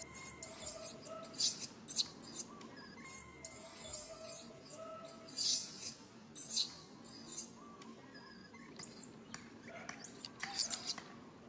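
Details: Infant monkey Rain keeps calling for its mother Rany to help, without success: repeated very high, piercing squeals and screams in irregular bursts, some sweeping up and down, with soft tonal humming beneath.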